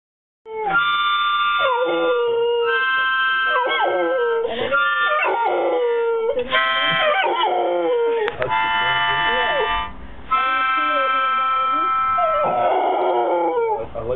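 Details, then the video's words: Pet dog howling along as a harmonica is played; wavering, sliding howls rise and fall beneath steady, held harmonica chords, continuing almost without break, with a person speaking briefly at the end. "Marley singing"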